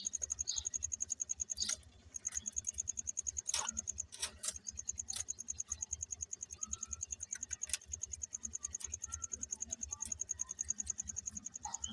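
Only a fast, steady mechanical ticking with a thin high whine and scattered clicks is heard, with no clear animal call.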